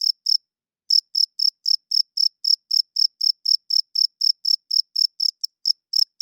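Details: Loud cricket chirps in the night, sharp high pulses about four a second after a short opening pause, a few clipped irregular chirps near the end, no other sounds.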